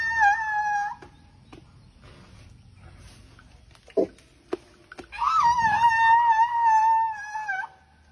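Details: Thai elephant named Dummy grumbling: a short tonal squeak lasting about a second, then clicks and knocks, then a longer, wavering, slightly rising-then-level squeal of over two seconds, in a quiet setting.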